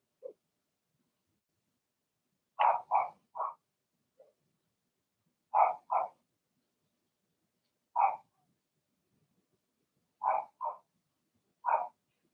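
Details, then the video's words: Blenheim Cavalier King Charles Spaniel puppies, part of a litter of six, barking in an indoor puppy pen at home. Sharp, high yapping barks come in quick pairs and triplets, with short silences between bursts. "Cavalier Puppies Bark, Howl"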